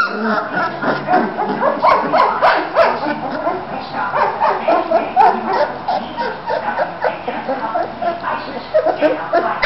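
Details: Bulldog puppies three weeks old, playing and moving around in Florida, give a dense, overlapping stream of rapid yips and squeaks from several pups at once, with faint voices beneath.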